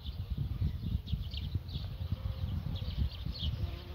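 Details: Bumblebee at work: a low, rough buzzing rumble that swells and dips irregularly for four seconds, with faint high chirps of birds in the background.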